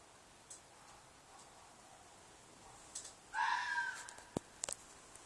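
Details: At night in a field behind an apartment, a red fox gives a single loud, harsh, slightly descending scream past the midpoint, followed by a few sharp clicks and taps over low constant hiss.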